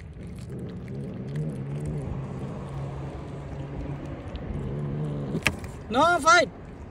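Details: Hungry cat outdoors eating cut fish: a short, loud two-part meow near the end, arching up and falling, after several seconds of low engine hum and voices.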